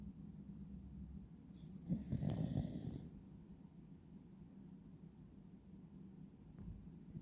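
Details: Pet Beagle, Wiru, dozing half-eyed and snoring; low rumbling snore swells for about a second in the middle, overlaid by a brief bright sound effect, with soft steady breathing noise before and after.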